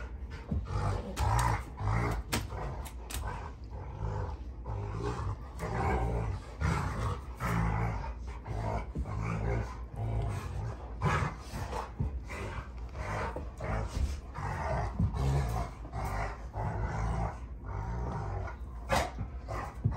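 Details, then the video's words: Rottweilers June and Kenai roughhousing in a play fight on a ranch; steady, deep growling runs throughout in choppy bursts, punctuated by quick snorts and scuffling. "Rottweiler WWE SMACKDOWN! (June Vs Kenai)"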